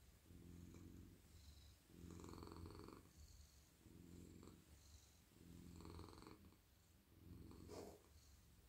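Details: Friendly, very soft male house cat being petted in a lap at night, purring continuously; deep rumbling purr rises and falls in five clear breath cycles, each louder exhale-inhale swell separated by brief softer dips.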